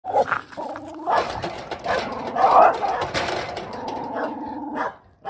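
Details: Male Shiba Inu and Mino Shiba dogs fighting in a country village: angry, harsh, overlapping barks and snarling growls fill five seconds almost without pause, fading out briefly at the end.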